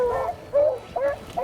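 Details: Excited beagles let out in the hills of Pike County, eastern Kentucky, baying while running rabbits in early summer, not 50 yards from the truck; four short, wavering yelping bays about every 0.4 seconds over a faint outdoor hiss.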